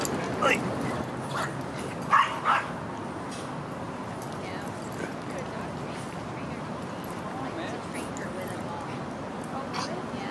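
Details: Rudy, a Boston Terrier, at a dog park in autumn, September 2015: a few short sharp barks near the start, two close together around the middle, over steady outdoor background noise and murmuring voices.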